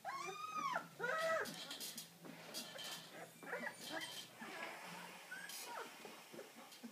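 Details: Deutsch Drahthaar at a hunting-dog kennel in Bucharest, Romania, giving high whining cries with rising and falling harmonic arcs, then softer scattered whimpers among rustling and clattering noises.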